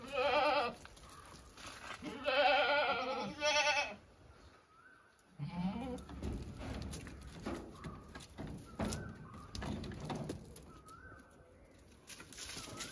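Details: Domestic goats bleating: a short nasal bleat, then a longer wavering one, followed by rustling, low thumps and scattered small bird chirps.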